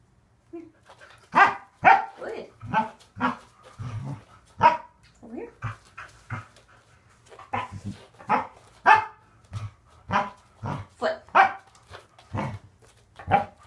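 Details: Corgi named Waffle in a training session with conditioning exercises on Fit Bone, Donut and exercise ball, barking in quick bursts, sometimes doubled, roughly every second over many seconds, mixed with a trainer's spoken cues of back, good job and praise.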